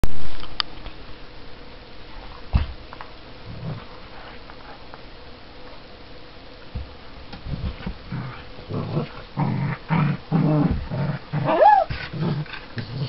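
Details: Two dogs at play, a seven-year-old Border Collie and Springer Spaniel cross and a Border Collie puppy: a quiet start, then low rumbling growls and grumbles that build in the second half, with a brief high whine near the end.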